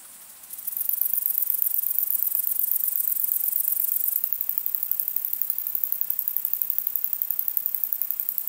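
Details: Long-winged conehead (Conocephalus fuscus) singing at sunset at Dreezsee, Germany, 21 August 2020: a very high, fast, continuous ticking buzz that starts after half a second and runs steadily to the end, with no other sounds.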